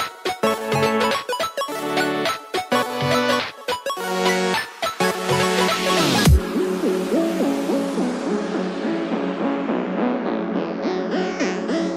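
Electronic music with dense chords and a sharp rising sweep midway; no animal voice stands out.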